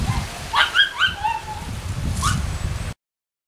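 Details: Ten-week-old Miniature Schnauzer puppies of the Cookie litter at play: a burst of short, high yips and squeaky whimpers, several sliding downward, over a steady crackling rustle, then one brief sharp yelp before the sound cuts off.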